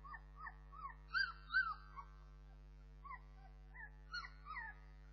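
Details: Bernese Mountain Dog puppies giving a string of short, high, rising-and-falling whimpers and squeaks, some overlapping, scattered irregularly over five seconds, with a steady low electrical hum beneath.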